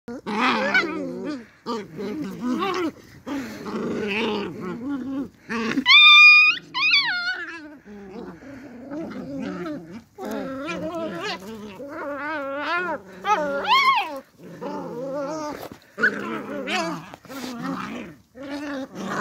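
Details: Beagle puppies fighting over things they want, giving harmonic growls and snarls in short bursts, broken by a high squealing yelp near six seconds and further rising whines, indoors.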